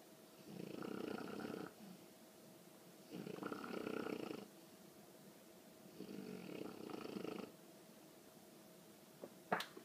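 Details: A sleeping 20-week-old female English bulldog puppy snores in slow, rasping breaths, each lasting over a second and returning every few seconds; she only recently began snoring loudly.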